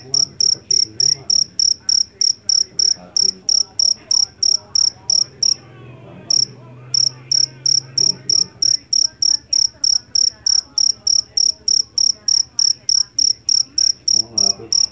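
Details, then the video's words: A loud jangkrik jeliteng field cricket taken from rice paddies gives bright, shrill chirps at roughly three per second, pausing briefly once midway before resuming the even rhythm; soft low rumble and faint voices beneath. "SUARA JANGKRIK PENGUSIR TIKUS SUARA ASLI"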